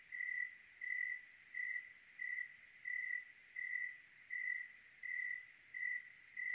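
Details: Clear Oregon night with a cricket chirping: even, bright pulses about three every two seconds, ten in sequence, with no other voices and only a soft hiss behind.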